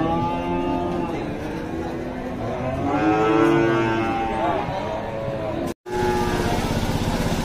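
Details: Several drawn-out moos from cattle at Dhaka's largest weekly cattle market, Bangladesh, 24 September 2022, the loudest swelling midway and arching in pitch, with traffic, motorcycle engines and people bargaining over prices in Bengali.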